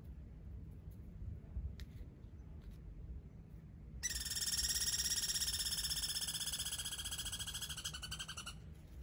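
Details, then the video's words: Squirrels squabbling over a limited supply of peanuts: a sudden, buzzy, rapidly pulsed chatter rings out midway and runs for about four and a half seconds. Faint clicks and soft rustling come before it. "Squirrel battle. Round one."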